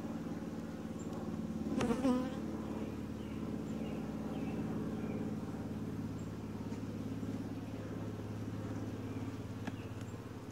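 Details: Honey bees in an open hive during a typical inspection, the colony quiet and calm; a deep, steady hum with a brief louder burst near two seconds, and faint scraping and clicking from careful handling.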